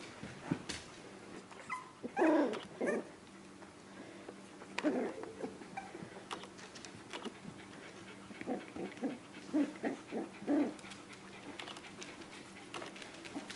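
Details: Four-week-old Australian terrier puppies being socialized with people, dogs and cats at the Dunham Lake Aussies breeder. Brief whining yelps around two and five seconds, then a quick run of short yips near the end, over a steady low hum.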